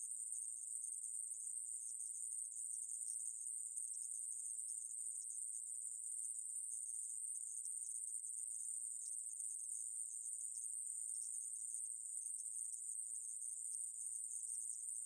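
A conehead katydid sings a continuous, very high, hissing buzz that holds an even pitch and loudness throughout. No other animals or background sounds break through the insect's unbroken drone.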